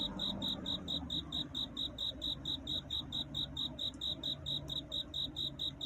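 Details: Night courtship song of a cricket calling for a mate before dawn, a rapid even train of bright high-pitched chirps, roughly four each second, with faint low background hum.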